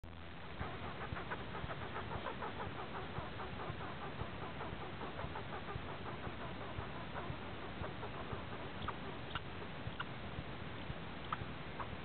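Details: Angry pine squirrel not interested in sharing, giving a long run of rapid, dry chattering notes, roughly one burst per second over twelve seconds, against steady background hiss.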